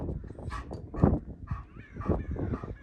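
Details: Dogs Duman and Pani getting used to each other; a dog gives about four short, harsh barks spaced roughly half a second apart, low and full-bodied with a brighter upper edge, over steady outdoor background.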